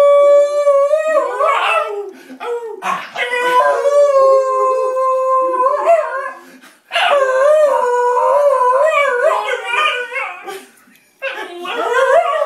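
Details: Excited basenji greeting its owner returning after a week: long sustained howls holding steady tones, then wavering, warbling yodels, with two short breaks of near silence.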